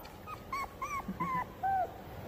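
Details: Golden Retriever whimpering: four short, high, tonal whines, each slightly arched or falling, spaced about a third of a second apart, with a quiet hiss in the background.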